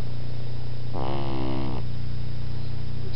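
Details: Sleeping pug puppy snoring loudly: a single raspy, buzzing snore lasting under a second rises out of a steady low hum, then fades back to the hum.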